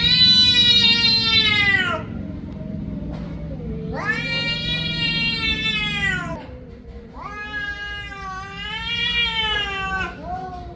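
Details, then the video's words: Loud, prolonged cat meows: three wailing calls of two to three seconds each, the first falling in pitch, the later ones rising and wavering, over a low continuous hum. "meow little kittens Vs cats"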